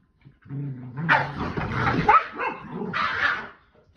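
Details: Boston Terrier and Keeshond tugging on a chili pepper toy together, giving a low steady growl that breaks into sharp, higher yips and barks, ending in another rough growling burst before falling quiet.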